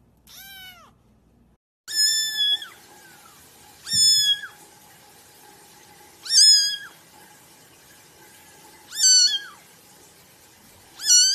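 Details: Cat meowing in a quiet room: a short high meow, a pause, then five loud, even meows spaced about two and a half seconds apart, each a steady tone that dips at its end.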